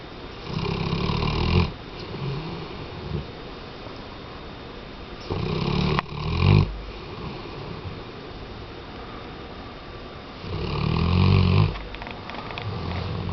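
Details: Sleeping Weimaraner snoring in slow cycles, with harsh low rumbles of one to one and a half seconds at roughly four- to five-second intervals, separated by quiet breathing gaps.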